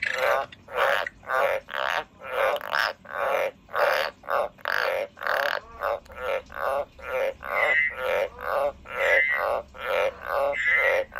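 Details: A kept pet frog croaking in a steady series of short, grating, buzzy pulses, roughly two per second, each a broad rasping burst with a faint whistled overtone in some notes; no other sounds.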